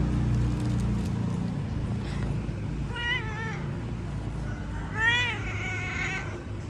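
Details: Pet cat giving two drawn-out, wavering meows, the second louder and rising then falling, over a steady low rumble with brief human voices nearby.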